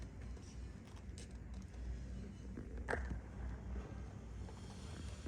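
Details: Low rumbling room or traffic noise with a single faint click near the third second, and no animal voice heard.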